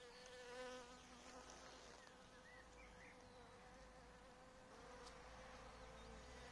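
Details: Honey bees at an apiary where they were given coffee, showing caffeine's effect on them; a steady droning hum with a low base tone and stacked overtones runs throughout, with a few faint bird chirps behind it.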